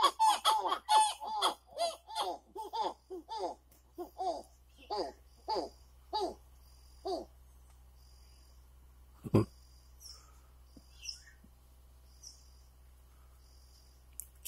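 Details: Callicebus personatus, the masked titi monkey, giving its territory-marking call against other males: a rhythmic run of swooping, descending notes about two per second that fade out after seven seconds into near silence with a few faint sounds.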